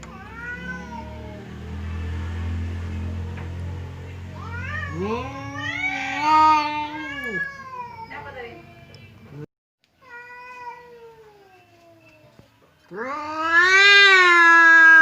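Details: Two household cats, hot-tempered Temon and placid Lelo, growl and yowl at each other across a barrier before a possible fight; a low hum underneath, rising and falling wails, a brief silence, then a loud piercing yowl.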